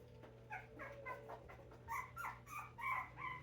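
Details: Five-week-old Puggle puppies whimpering: a quick series of about nine thin, squeaky whines, each bending up then down, coming faster and louder toward the end, over a steady low indoor hum.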